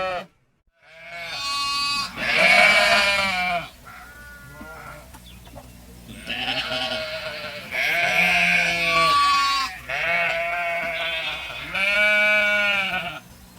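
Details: Sheep giving a run of repeated loud bleats, about six harsh wavering calls spaced one to two seconds apart, some overlapping as if from several animals, with a low steady hum underneath.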